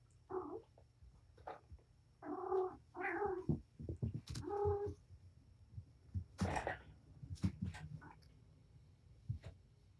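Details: Mother cat Patience, surrendered to Purrfect Pals, plays indoors with her five kittens, four males and one female. Short harmonic meows and chirrups come in a quick series over the first five seconds, then thumps, scuffles and rustling of play.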